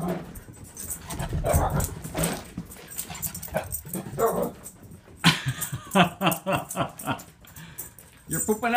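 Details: Excited female pet dog greeting her owner home from a trip indoors; squeaky whimpers and short yelps break through the owner's talking, with high wavering whines toward the end.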